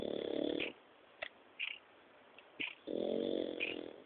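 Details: A sleeping 4-month-old French Bulldog puppy, which snores like this whenever it sleeps, sometimes all night, gives long, rough, wheezy rasps about two seconds apart, with small snuffles and clicks in between.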